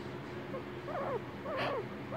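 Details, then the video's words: Pet guinea pig giving two quick bursts of warbling, wavering squeaks, with a soft breathy sound and low background hum between them. "Guinea pig noise"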